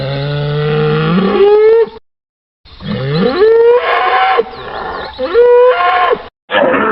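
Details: Muffled, slightly harsh bovine bellows that sweep upward in pitch, three drawn-out calls with brief silent breaks, sounding compressed and lacking the highest tones.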